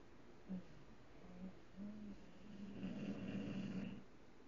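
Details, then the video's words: English bulldog named Tank snores with his eyes open; a few short soft snorts build into a louder, longer rattling snore with a fluttering, gurgling texture in a quiet room. "TANK! - ENGLISH BULLDOG SNORING"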